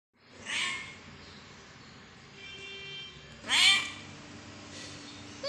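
Kittens give thin, high-pitched meows, two clear cries a few seconds apart.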